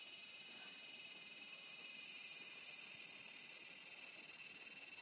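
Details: Cicada calling: a loud, steady, high buzzing drone with a fast pulsing throb about three times a second, continuous throughout with no other clear sounds.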